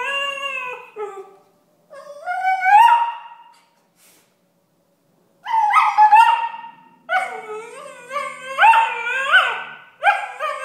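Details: Two six-month-old Tibetan Terriers, Alfie and Belle, arguing; Alfie whines and complains while Belle objects. Bursts of high, wavering whines and yelps rise and fall in pitch, separated by short silences.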